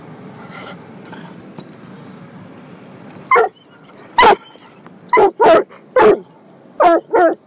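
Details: Coonhound mix dog guarding its people inside a car wash. After about three seconds of rushing wash noise, six sharp, evenly loud barks come in quick pairs and singles.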